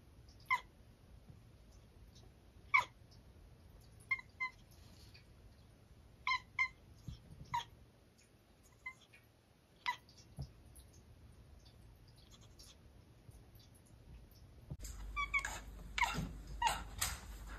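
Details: Domestic cat chattering, chirping and chittering: brief clicky, harmonic chirps come singly or in quick doubles and triples, roughly a dozen spaced over fifteen seconds in a quiet room, ending with louder rustling and scuffling.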